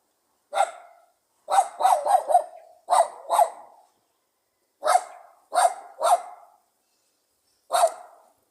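A pug barks in short, sharp bursts, some single and some in quick doubled runs.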